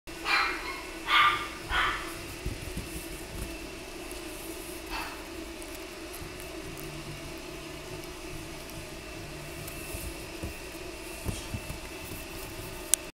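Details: Pomeranian dog giving three short, sharp barks in quick succession within the first two seconds, then falling quiet over a steady low background hum with faint clicks.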